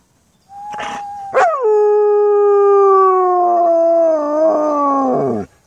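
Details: German Shepherd (Canis lupus familiaris), howl.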